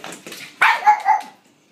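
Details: Mary, a blind female pug, playing fetch indoors with a noisy battery-operated ball she tracks by sound; one sharp, bright bark followed by a shorter trailing yap, then quiet.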